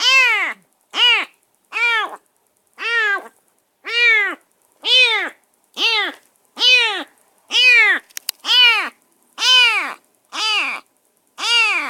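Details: Stray semi-wild kitten, newly rescued and placed in a cage at a new home, meowing on and on: a rapid, regular run of twelve loud, strained meows about one per second, with a brief click midway.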